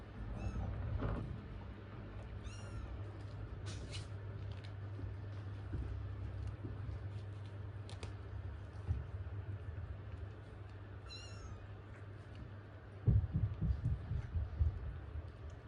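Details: Baby Munchkin kittens, including Kuro and Gin, mewing while the young cat Pocha grooms them and helps with toilet care. Two short, high, wavering mews ring out a few seconds apart over a steady low hum, with soft thumps near the end.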